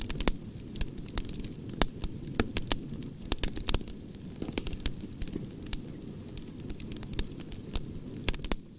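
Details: Crickets chirping beside a crackling campfire: a steady high continuous trill runs throughout, while sharp pops and crackles of burning wood and a low rumbling fire roar fill the foreground.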